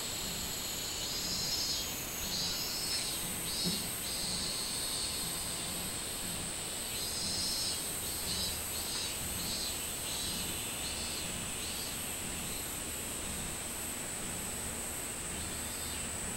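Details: Minmin cicada calling in summer, recorded 24 July 2016: shrill pulsed phrases repeat a little over once a second, standing out above a steady high-pitched drone that runs throughout.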